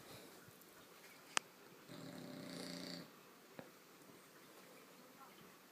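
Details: Female bulldog puppy, seven months old, asleep and described as a loud snorer: one rough, rasping snore about a second long, with a sharp click before it and another after.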